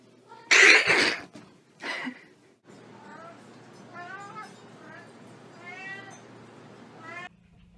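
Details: Pet cat giving a run of drawn-out, wavering meows, each rising then falling, about four in the last five seconds, after a loud burst of noise and a short sound at the start.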